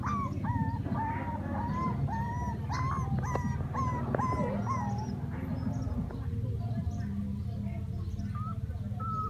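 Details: Several puppies playing and crying: a steady series of high, thin whines, each bending up then down, repeated roughly every half second, with overlapping yelps and a constant low rumbling hum underneath.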